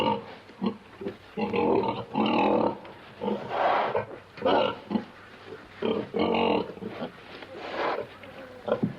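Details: Pig in a pen grunting: a steady series of short, rough, nasal grunts and snorts, about one each second, some doubled, with no other clear sounds.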